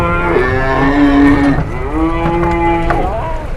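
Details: Cattle arriving masked and stepping down from a truck in Indonesia, calling in long, steady, deep moos, one sustained call then a second rising at its end, with crowd noise behind.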